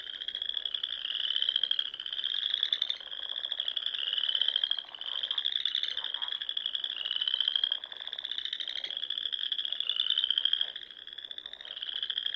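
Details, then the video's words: Spring frog chorus from a pond in the Sandhills of Nebraska at dusk, many callers trilling together in long, slightly rising pulsed bursts of about two seconds, steady and continuous with no other sounds. "RELAXING SOUNDS OF FROGS"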